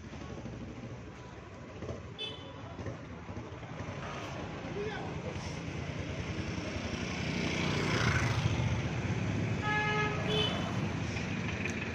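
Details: Street traffic rumbles throughout, with voices and a brief car horn toot, but no clear animal call. The traffic noise swells toward the end.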